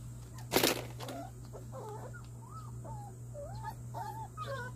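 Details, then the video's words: Simba, a one-month-old Jindo fighting-dog cross puppy with littermates, vaccinated and sleep-talking, makes faint thin squeaky whimpers with wavering, rising-and-falling pitch after a sharp knock; a steady low hum runs underneath. "강아지 심바ᆢ예방백신과 잠꼬대"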